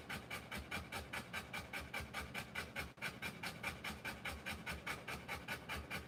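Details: ['Rottweiler panting while giving birth to her puppies, a very regular rhythm of sharp breathy pulses, about 146 per minute, steady across the whole stretch with one brief break.']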